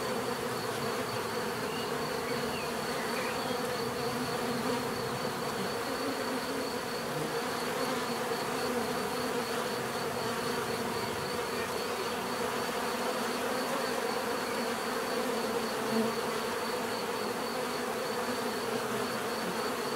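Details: Steady hum of numerous bees, layered droning tones holding level for the full length, with a faint high thin whine above and no other noticeable sounds.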